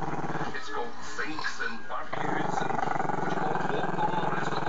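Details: Chester, a Maltese-Shih Tzu pup who is camera shy, growling at the camera; a low, rumbling, pulsed growl takes over after a quieter opening second or two, with television-like talk murmuring behind.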